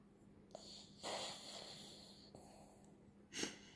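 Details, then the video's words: Snoring poodle with quiet, airy wheezing breaths, a longer hissing exhale in the middle and a brief sharp snort near the end, over a low constant hum. "anjing poodle ngorok"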